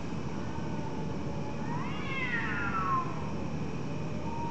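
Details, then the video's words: Cat meowing in the middle of the night: one drawn-out wavering meow that rises and then falls, with a shorter faint call near the end, over a constant broadband hiss. "Weird sounds of cats meowing in the middle of the night"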